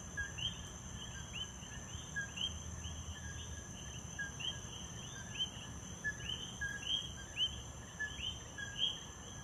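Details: Coqui frogs calling in Puerto Rico: several overlapping callers give short whistled notes that sweep upward, repeating roughly every half second to second over steady faint background hiss and low rumble.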